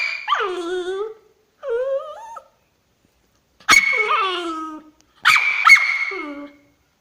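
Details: Female pet dog voicing her anger in a series of wavering, harmonic whines and yowls, four separate drawn-out cries with gaps between, some starting with a sharp yip.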